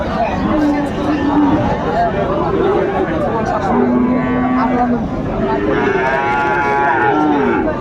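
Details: Trading of Sahiwal bull calves at Aftabganj market, Dinajpur, Bangladesh, on 1 July 2025. Short flat lows come early and mid-way, then a longer, richer moo near the end, all over continuous crowd talk.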